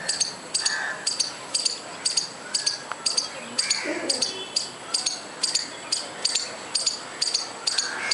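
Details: A squirrel calling: piercing, clicky chirps repeated about twice per second in a steady rhythm, with quieter bird calls underneath.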